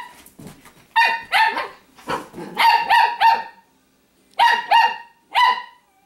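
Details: Italian Greyhound Shimmer, a female, snarls at her companion dog Sparkle while dressed in clothes she dislikes; rapid clusters of harsh, buzzy bark-growls run in quick runs of two to four, then pause.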